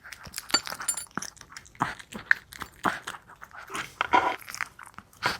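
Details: Maltese named Wanzi eagerly eating a nutritious meal indoors: rapid irregular crunching, chewing and licking clicks, bursts of sharp broadband noise scattered throughout.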